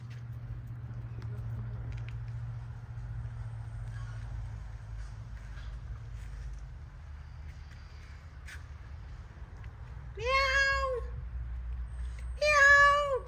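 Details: Cat in Jamaica on a sunny day gives two drawn-out, rising-then-falling meows near the end. Low steady hum and faint background noise fill the earlier seconds.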